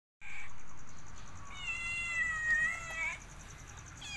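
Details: Cat from a compilation of playful feline moments giving a drawn-out tonal meow of about a second and a half, heard over a steady background hum, followed by a Thai-speaking voice.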